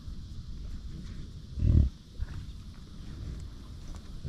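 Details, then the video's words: Ranch-kept American bison giving one deep, brief grunt, a rough low burst lasting under a second, followed by a fainter short sound amid constant low outdoor rumble. "Bison Being Bison! Sights and Sounds from a Buffalo Ranch"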